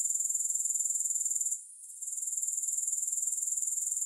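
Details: Grasshoppers calling with a sharp, rapidly pulsed, high-pitched trill that cuts out for about half a second in the middle and then resumes at the same steady rhythm. No music.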